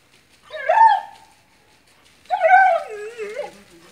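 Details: A Magyar Vizsla gives two drawn-out, tonal whines, the second wavering and sliding downward.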